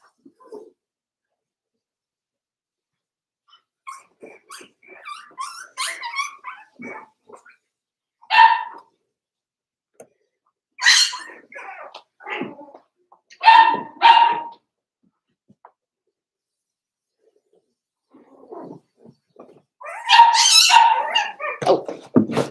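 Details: Cavalier King Charles Spaniel puppies, four weeks old, in a pen: scattered squeaky little barks and yips in uneven bursts, some clustered in quick runs, with short quiet gaps between.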